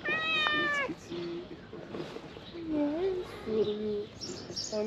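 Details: Stray cats emerging from green grass toward a person bringing food; a clear drawn-out meow at the start, then short mews among background music and a man calling them.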